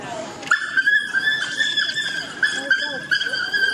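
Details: Six male African wild dogs (painted wolves) in a pack at London Zoo during a dominance display: sustained high, thin twittering and whining tones held level, with short broken squeals overlapping and slightly rough background noise.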